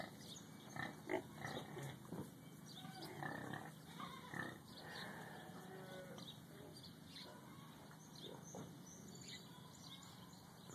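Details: Young Gloucester Old Spot gilt, about eight weeks old, newly arrived at a farm park barn; soft low grunts and snuffles cluster in the first half, fading into a steady hum with faint background voices.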